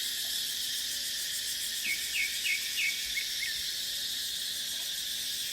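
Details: Dry-season cicada chorus in dipterocarp forest: an unbroken shrill insect hum holds throughout, while a bird calls a quick series of five or six bright rising chirps near the middle.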